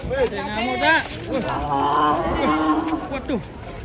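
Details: Rampaging cow swimming in water as local residents crowd around; a drawn-out, steady low moo runs through the middle, overlapped by excited shouting and chatter from onlookers.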